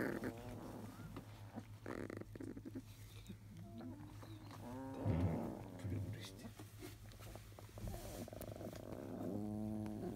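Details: Field-line Labrador Retriever puppies, 23 days old, squirm and whine and grunt fussily after their morning nursing, seemingly grumpy and perhaps a little cold, over a steady low hum.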